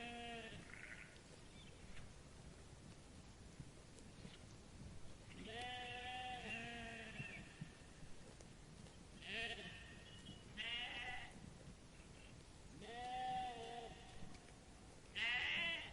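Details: Sheep grazing on grass in a meadow, giving several wavering, harmonic bleats spaced a few seconds apart, some quick and some drawn out, over a soft background hiss.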